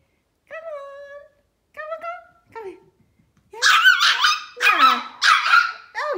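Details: A tiny Pomeranian puppy, afraid to step down a step, gives three thin, high whines before its owner's coaxing voice takes over.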